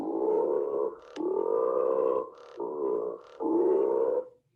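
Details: Howler monkey recording played back in a classroom lesson on vertebrate communication: deep, rough, droning roars in four long bursts separated by short pauses, with strong low harmonic bands and no other clear sounds.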